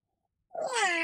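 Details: A female Norwegian Forest cat gives a single drawn-out meow that starts high and slides downward.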